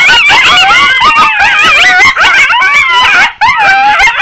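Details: Dense chorus of wild coyotes, shrill yips and warbling howls piling over one another, with a short dip in the clamour before it resumes.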